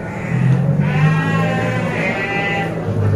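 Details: Garut sheep at Tanjungsari livestock market: loud quavering bleats, a low grumbling start then two wavering cries, over market crowd noise.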